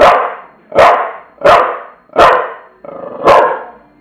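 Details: Five forceful, raspy barks from Tula the bulldog, spaced about two-thirds of a second apart, each a sudden burst that trails off.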